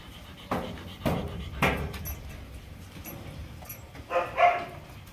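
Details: A Kanni dog from a Krishnapuram, Rajapalayam kennel with Kanni and Chippiparai puppies gives three quick, sharp barks, then a short, high whine.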